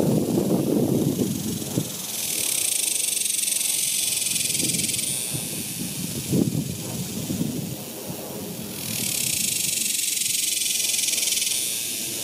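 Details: A shrill, continuous buzz of cicadas on a summer day in 2021, surging in strength twice, over a bed of low crunching, footstep-like sounds.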